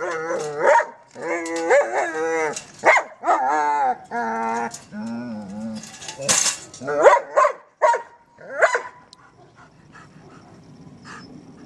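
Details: German Shepherd playing with a trolley: repeated barks mixed with long wavering howl-like whines and yips, then bursts of clattering; it fades into quieter rustling at the end.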